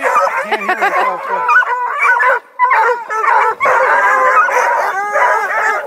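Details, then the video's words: About two dozen scent hounds (Bluetick, Redbone and Black and Tan coonhounds, beagle mixes) at a breeder's kennel near Kingston, Ontario, Canada, baying and barking together: a dense chorus of overlapping yelps and bawls with brief pauses. "TWO DOZEN SINGING HOUND DOGS: BLUETICKS, REDBONES, BLACK & TANS, BEAGLE MIXES"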